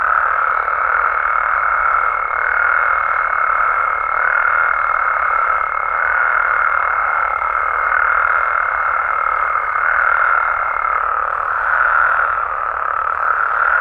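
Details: Frogs and toads calling at night in Mexico: a dense, steady chorus of many overlapping croaking voices forms a continuous mid-pitched roar, with a thin, unbroken high tone running through most of the clip.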